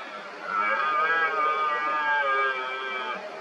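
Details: Red deer stag roaring in the 2023 rut among rivals challenging an injured dominant stag; one sustained, strongly harmonic groaning bellow lasting about three seconds, steady in pitch with a slight waver, fading at the end.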